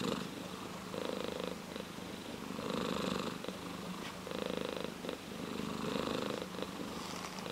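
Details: Steady purr from a ginger tabby cat, a buzzing rumble that pulses with each breath, louder bursts recurring every one to two seconds over seven seconds.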